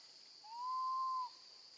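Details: Infant female monkey calling loudly for her mother while left with her gentle grandmother; a single long, pure whistled cry of nearly a second, rising slightly and then holding level, against constant high-pitched background hiss.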